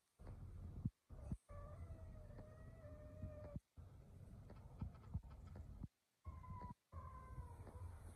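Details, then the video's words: Kittens meowing: drawn-out, steady tonal mews lasting about two seconds, then a shorter falling mew near the end, over a constant low rumble with brief silent gaps. "Cute and funny kittens."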